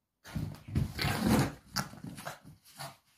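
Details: Mitrofan the pug rampaging playfully over a slipper he won't give up: low, rumbling growls in short overlapping bursts lasting about three seconds, with gruff snorts.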